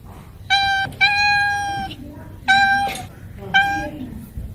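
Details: Cats and kittens meowing: four clear, clean-toned meows, the first three drawn out and slightly falling, the last short, with a soft lower voice murmuring between them.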